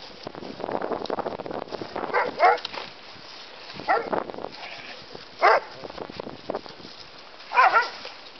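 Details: A terrier mix and a bulldog at play while learning the pack's rules of engagement, giving four brief, rough yelping barks spaced about one to two seconds apart over a steady bed of scuffling movement noise.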